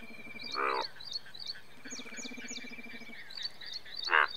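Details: Indian bullfrog, the largest frog in India. Two gruff, rasping croaks come roughly three and a half seconds apart, set against a steady backdrop of high chirps and a low buzzing chorus.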